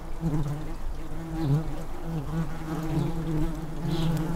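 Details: Garden nest of tree bumblebees in a disused blue tit nestbox. A bee at the entrance fans to cool the nest on a hot day, making a continuous deep hum with brief wavering rises in pitch.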